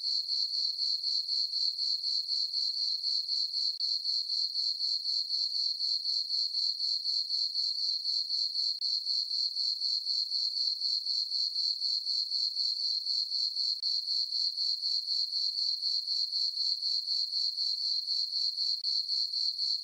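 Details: Summer-night crickets in a moonlit farm meadow keep up a continuous shrill chirping, bright high pulses repeating roughly four per second at a uniform loudness throughout.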